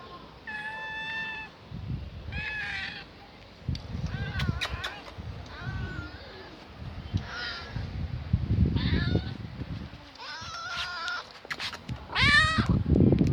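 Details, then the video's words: Hungry older stray cat found in a garage, asking for food: loud repeated meows, some flat and long, others rising and wavering, with low rumbling handling noise and a human voice between calls. "Old Hungry Cat meowing For the Food"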